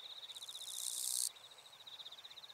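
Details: Wild eastern Japanese katydid from northern Miyagi Prefecture, Japan, recorded 22–23 August 2024: one loud, harsh, buzzy burst lasting about a second, over a steady fast ticking trill that continues throughout.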